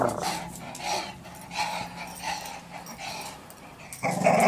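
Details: A young Staffordshire Bull Terrier, undecided whether to play ball, gives low, rumbling growls with short vocal bursts.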